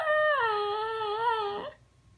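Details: Indoors, the puppy Bailey cries back at his mother after being scolded for bothering his senior brother: a steady, tonal whine held for nearly two seconds with slight wobbles, ending abruptly, and a woman asking why he is crying.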